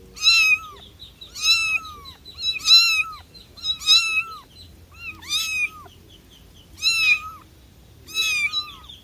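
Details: Domestic cat meowing: seven loud, high meows, each arching slightly then dropping, evenly spaced about one to one and a half seconds apart, with little else heard.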